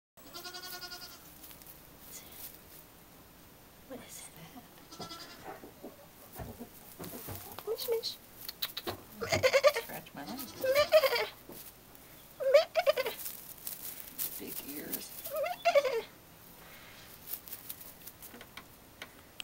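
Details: Nigerian Dwarf goat kids, born May 8, 2009, bleat in short wavering cries spaced several seconds apart, with quiet talking and handling noise around them.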